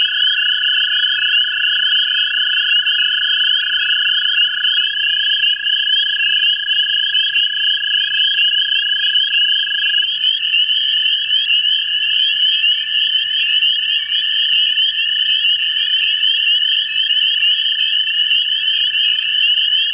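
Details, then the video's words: Several American toads breeding in a central Ohio vernal pool give long, steady, musical trills that overlap into a sustained chorus. "American toads in a vernal pool"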